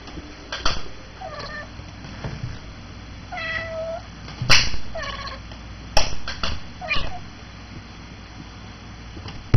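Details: Ruby, a six-month-old Bengal cat, chants while playing with a red laser light: short, strange, bent chirping calls, about five in ten seconds, between sharp knocks and clicks from the light box lid.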